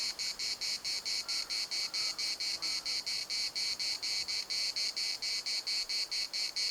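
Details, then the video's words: High, metallic cicada chorus from Larnaca's municipal park, regular buzzy bursts about four a second, with a few faint lower calls in the background early on. "CICADAS at the municipal Park Larnaca"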